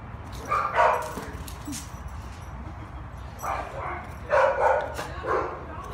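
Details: Three-year-old male Staffordshire Bull Terrier mix awaiting adoption; short, mid-pitched barks, a pair near the start and a quick cluster of three later, over a steady low background rumble.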